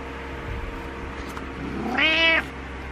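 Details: Butters the cat meows for attention. After a quiet stretch with faint hum, one meow swoops upward into a strong, clear, harmonic tone that lasts about half a second and then stops abruptly.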